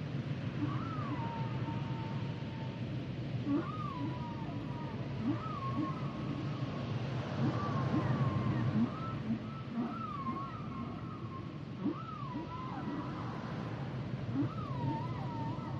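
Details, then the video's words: Humpback whale song: a steady series of wavering, bending tonal cries near mid pitch, repeated every second or two over low rumbling underwater noise, with fainter short upsweeps below. "Sounds and Songs Of The Humpback Whales"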